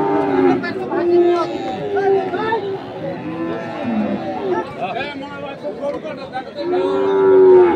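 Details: Several short, bending lowing calls from crossbred farm bulls at Ambari market, Dinajpur, on 2 January 2024, with a louder drawn-out moo near the end over music and voices.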